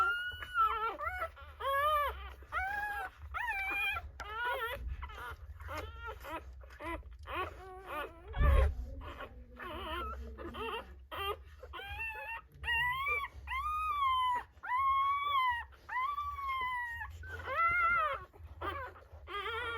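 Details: At a natural dog birth, newborn Rottweiler pups make a long series of short arched squeals, rising then falling, in quick bursts with brief pauses, and a single thump midway over a low hum.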